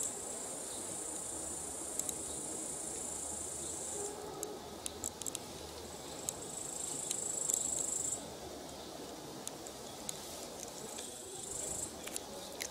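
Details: Evening summer walk at sunset, a grasshopper chirping nearby: very high, sustained, hissing trills lasting about two to four seconds each, separated by short pauses, over a continuous soft rustle and occasional clicks.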